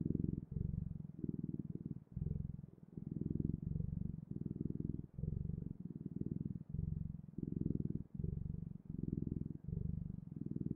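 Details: Continuous low purring from a cat, deep throbbing phrases about three quarters of a second long alternating with short breathing gaps, repeated evenly throughout in a quiet setting.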